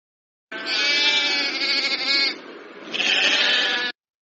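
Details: Sheep bleating, played for children in a lesson on domestic animals: two strong, rich, wavering bleats, the first nearly two seconds long and the second about one second, with a short pause between them.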